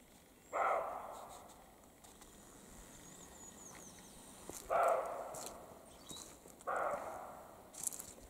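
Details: Roe deer of both sexes exchanging barks during the spring rut in the Carpathian mountains; three rough, breathy barks a couple of seconds apart, with soft rustling and brief high clicks between them.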